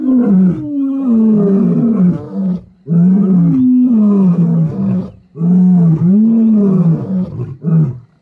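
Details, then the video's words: Deep roaring from wild lions, the Kambula pride and Ndhzenga males, MalaMala Game Reserve, seen mating. Three long, powerful, moaning roars, each rising slightly and then falling, separated by short silences. "Mating and roaring LIONS."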